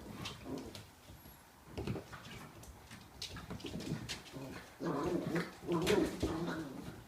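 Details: Pharaoh Hound puppies, six weeks old, playing indoors with an adult female of the same breed; low rough growling and whining bursts in uneven clusters, loudest near the end, with scuffling.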